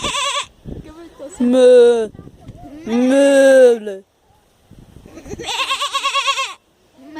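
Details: Sheep bleating in three long calls: a steady bleat, a louder rising-and-falling bleat, then a strongly quavering, pulsing one, separated by short pauses with faint rustling.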